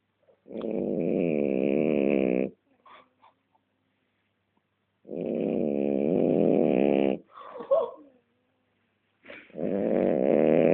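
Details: Sleeping French Bulldog snoring: three drawn-out, rumbling, buzzy snores, each lasting about two seconds, with pauses of quiet breathing and faint snuffling between them.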